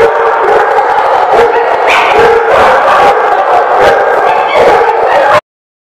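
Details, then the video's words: Dogs at a dog lot, recorded 2/10/18, in a loud chorus of overlapping barks and howling yelps that ends abruptly at the close. "The Barking Lot"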